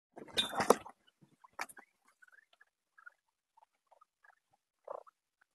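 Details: Guinea pigs in a house full of them, heard up close: a burst of rustling patter, then short scattered squeaks and chirps, one louder squeak near the end.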